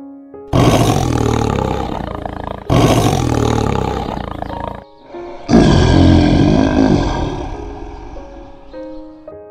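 A tiger gives three deep, rasping roars, each a long rumbling burst, with faint music underneath.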